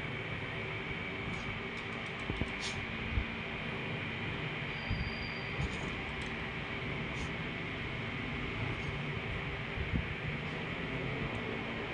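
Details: Steady broadband rumble and hiss fills the room, with faint short high squeaks and clicks and no clear animal voice.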